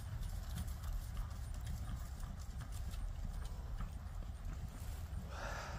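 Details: Friesian mare under a rider, dense low clopping of hooves in quick succession against a rumbling background, with a brief brighter noise near the end.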